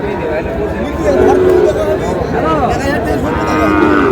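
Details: Sahiwal cattle in Gaibandha, Bangladesh, on 30 July, where a farmer buys a Sahiwal bull calf; a drawn-out, low harmonic moo rises and falls, then a second long lowing call follows, over crowd chatter and nearby voices.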